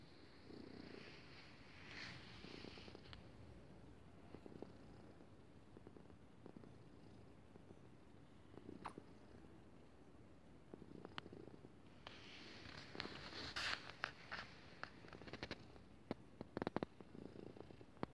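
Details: Pet cat purring while lying on its owner's chest, recorded 10 February 2018: a soft, steady low rumbling purr continuing throughout, with faint rustling and a few light clicks.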